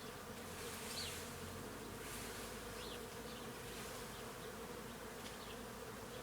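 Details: Swarm of bees feeding on flowering trees on a farm, giving a continuous even drone that holds steady for the whole stretch, with a few thin, faint bird chirps high above.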